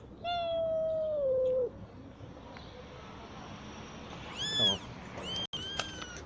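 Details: A mother cat that has just given birth, living on the street with her kittens, gives a long level meow that drops at the end, then two shorter higher meows; background hum throughout.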